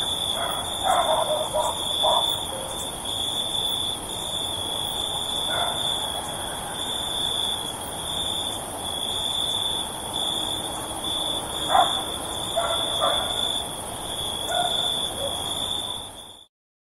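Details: Dogs barking at night in the countryside: scattered distant barks, single and in short clusters of two or three, over a steady high-pitched insect drone filling the night ambience.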